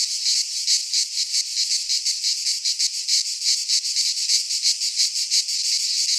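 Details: Midsummer chorus of cicadas in a pine forest in Greece, an unbroken shrill rasping drone throbbing in quick uneven pulses, several insects overlapping, nothing else audible.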